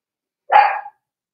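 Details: Single brief puppy yelp from a litter of 4-week-old Cavalier King Charles Spaniels, being socialized with adult dogs in an indoor pen; the cry rises abruptly, stays level and bright, then fades within half a second, surrounded by silence.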